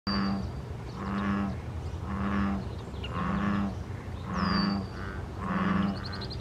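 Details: A chorus of American bullfrogs, recorded 14 May 2023, gives deep, resonant, droning croaks about once a second to attract mates.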